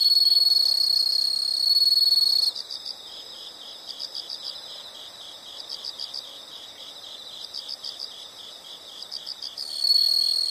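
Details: Insects: a loud, shrill, continuous high trill for two seconds, then several seconds of quieter, rhythmic high chirps in short clustered bursts, before the loud trill returns near the end.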